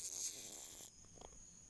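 An Asiatic rhinoceros beetle gives a harsh, hissing rasp that lasts under a second.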